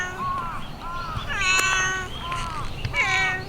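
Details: Talkative stray cat in a city, greeting a passer-by after playing with crows: a run of short, bent, harmonic-rich meows, some rising then falling, about five in quick succession with little pause.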